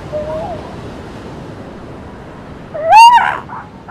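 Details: Seal pups on a beach: a faint wavering wail early on, then a loud rising, bending cry with strong overtones near the end, over a steady wash of surf.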